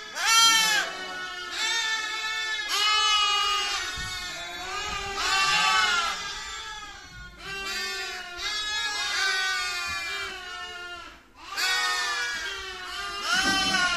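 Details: Young lamb calling with a run of loud, nasal, quavering bleats, each one to two seconds long, coming roughly every one to two seconds with short gaps between.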